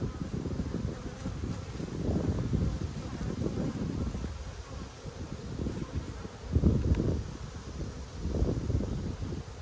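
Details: Dense low droning of honey bees in an Australian hive inspected during a dearth, eggs found on the comb; the hum swells and fades with bursts of handling and rustling close by.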